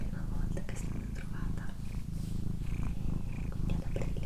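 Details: Female house cat purring indoors during a relaxing recording, a steady low rumbling purr running without a break throughout, with soft whispered speech and faint mouth sounds on top.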